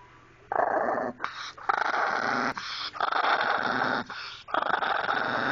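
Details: Pet dog named Maggie growling: a raspy, noisy rumble that starts after a short quiet moment, then runs in long rough stretches broken by brief gaps, steady and continuous rather than barked.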